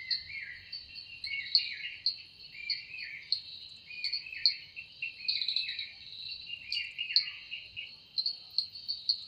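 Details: Cicada voice at evening time in the forest, its sound credited to the wings: a high, unbroken insect drone swelling in pulses, overlaid by busy, stepping chirps lower down.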